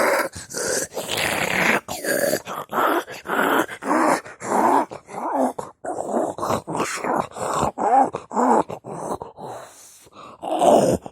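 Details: Pug described as demonic, giving a long series of loud, rough, throaty growls and grunting groans in bursts of about half a second, with brief pauses between, rising and falling in strained, harsh tones.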